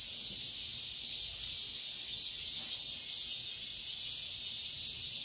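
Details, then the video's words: Cicadas singing at dawn in midsummer: a dense, steady high-pitched buzzing drone that swells in soft pulses roughly every half second, with no other clear sounds. "새벽매미소리를 들어보자"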